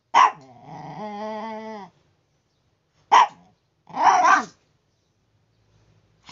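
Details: Chihuahua making noise in the morning like an alarm clock: a sharp bark, then a long nasal whining howl with stacked harmonics, followed by another short bark and a rough growly bark burst.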